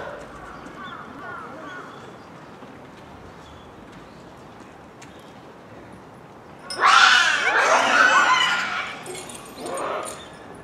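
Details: Japanese macaque troop at Hamura Zoo, Japan, filmed at dusk near closing time in December 2020; after quiet faint calls, a loud burst of harsh overlapping screams and shrieks erupts for several seconds, then a shorter second outburst.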